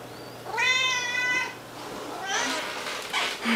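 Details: Siamese kitten fed raw food meowing indoors: one long, loud, harmonic meow, followed by a rougher, noisier second cry a second later.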